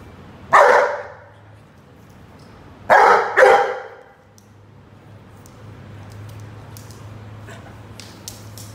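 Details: Rhodesian Ridgeback named Roady playing with a watering can, giving a single bark, then a quick pair of barks about half a second apart, followed by quiet background with faint clicks.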